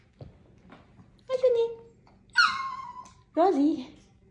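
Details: Indoors, a sassy Chihuahua lets out three drawn-out whining cries about a second apart, the first falling, the second sharp and then sliding down, the last wavering low, against a quiet room.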